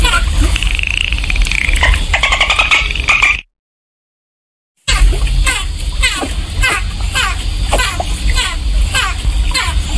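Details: Dolphin recorded in water: a wavering whistle and dense clicking at first, a pause of silence, then repeated short falling chirps over a heavy low-pitched water background.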